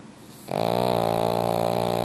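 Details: Sleeping pug in a heated room breaks into a loud snore after a brief quiet breath: a sustained, vibrating, throaty drone that continues to the end.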